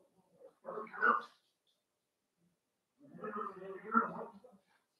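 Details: Cavalier King Charles Spaniel puppies playing in an indoor puppy pen at home: two short, rough, harmonic vocal bursts about two seconds apart, with quiet between them.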